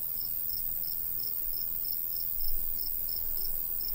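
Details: ['Cricket chirping in summer countryside by a golden wheat field: high, clear pulses repeated steadily about three times a second over a low rumble of light breeze.']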